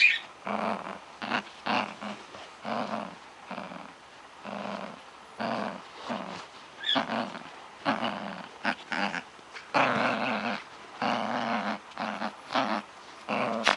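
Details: Playful dog growling at a toy indoors, a steady series of short harsh growls repeating about once a second, some longer throaty bursts toward the end.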